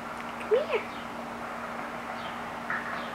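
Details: Ivy, a rescued feral kitten about 1.5 months old, sitting in a djembe, gives one short arched meow that rises and falls. Fainter, softer cries follow near the end over a steady low electrical hum.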